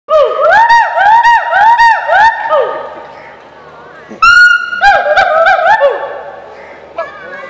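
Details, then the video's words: Hoolock gibbons at Delhi Zoo communicating with each other give loud, rapid whooping notes, each rising then falling, in two quick bursts. "hoolock gibbon funny noise making"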